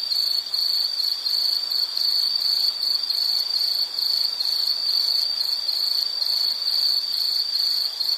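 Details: Insect chorus for relaxation: a steady, high shrill band of rapid pulsed chirps, cricket-like, repeating about three times per second without pause, with faint higher overtones above and no other clear sounds.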